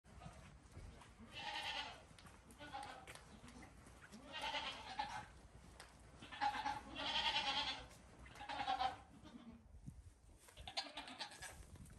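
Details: Baby goat kids, five days old, playing at bedtime on a farm while their mother waits; several wavering harmonic bleats about every one to two seconds, some overlapping, with faint barn noise between.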